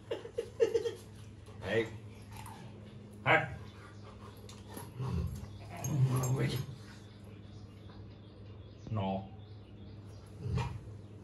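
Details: A Rottweiler play fighting with its owner, letting out short growls and whimpering yelps in scattered bursts: several sharp ones in the first second, a longer rough stretch near six seconds, more near nine. A man talks in between over a steady low hum.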